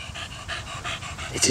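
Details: Rapid, soft panting from Donut, a 13-year-old Staffordshire Bull Terrier cross: evenly spaced airy puffs, quieter than before, ending in a brief louder rustle or handling noise.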